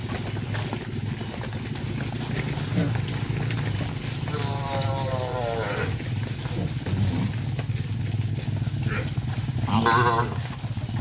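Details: Cattle herded back to the farm pen, one animal giving a drawn-out, wavering moo near four seconds and a shorter, louder moo near ten seconds, over steady trampling hooves, a low rumble and people's voices.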